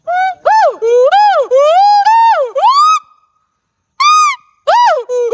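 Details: Gibbon. A gibbon gives a loud, clear song of rich whooping notes, each rising then falling in a smooth swoop. The notes come in quick bursts, with a short pause before the calling resumes.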